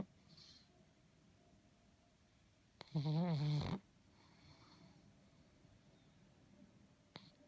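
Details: Sleeping pug snoring in a quiet room: one loud, low, buzzing snore lasting under a second, rippling in pitch, surrounded by faint breathing and room hum.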